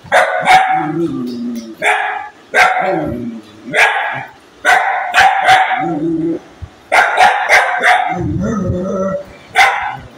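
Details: Angry dog barking in clusters of two or three sharp, loud barks, with a lower rough growling tail after several bursts and short quiet gaps between groups.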